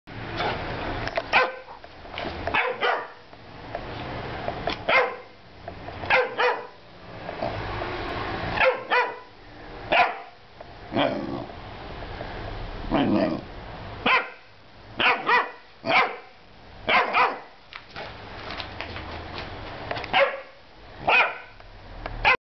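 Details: Cheeky dog grumbling and barking indoors: repeated rough, noisy bursts of grumbly vocalising at irregular intervals through the clip, each lasting under a second, broad and harsh in tone.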